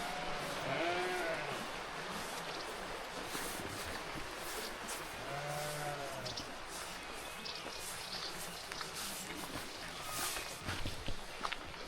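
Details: Many sheep kept by locals at the start of a hike in Baztan, Navarra, Spain: a few wavering, drawn-out bleats of about a second each, separated by pauses, with footsteps, rustling and outdoor noise throughout.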